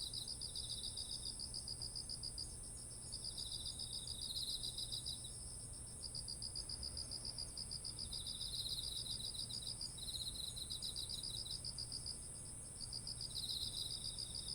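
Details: Insects of autumn calling beside ripened rice paddies in Japan, captured with a ZOOM H1essential: long runs of quick high-pitched pulses broken by brief gaps, overlapping fainter trills, steady shrill high hiss and a low hum beneath.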